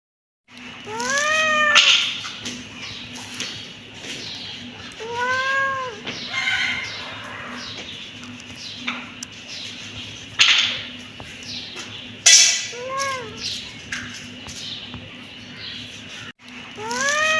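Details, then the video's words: Kittens meowing: a run of rising-then-falling meows in short bursts with gaps between them, a few higher squeaky calls, and a steady low hum underneath. "Cute kitten meowing"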